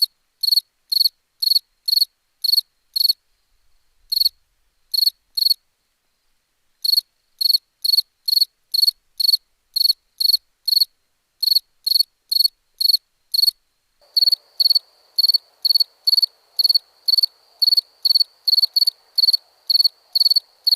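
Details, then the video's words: Cricket chirping at night, possibly in India: steady runs of short pulsed chirps about twice per second with a few gaps; a faint continuous trill and low hum join in the latter part. "Night ambience cricket sounds"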